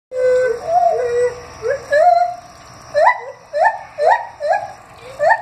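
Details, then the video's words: Gibbons at a zoo, recorded 9 August 2015, give a run of loud, rising whoops that quicken and climb in a swooping series. "Gibbons Howling"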